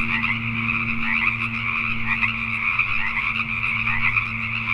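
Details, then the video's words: Many Pacific tree frogs croaking after dark in Richmond, British Columbia, Canada, their rasping calls blending into a continuous chorus, with a faint low drone underneath. "Pacific Tree Frogs at Night"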